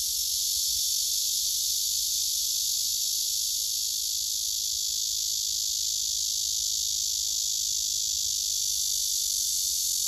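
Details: Singing male cicadas gathered on a tree trunk, recorded on a phone; a strong, steady high buzzing drone with no pauses, a faint low hum underneath.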